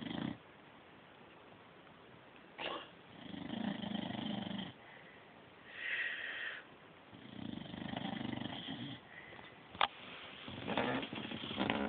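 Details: Sleeping puppy snoring, recorded on an Android phone; soft raspy breaths rise and fall in slow cycles every few seconds, with a few faint clicks in a quiet room.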